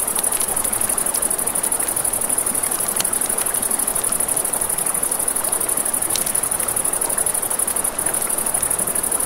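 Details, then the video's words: Night crickets at a riverside campfire keep up a continuous shrill high trill while the fire crackles and snaps repeatedly and river water hisses steadily underneath. "Campfire by the River at Night Ambience | 1 Hour of Crackling Fire, Crickets, Ambient Nature Sounds"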